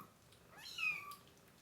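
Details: Crying baby kitten, about four weeks old, one of three with their mother, kept indoors and about to be dewormed; a single clear, high mew that slides down and then levels off, in a quiet room.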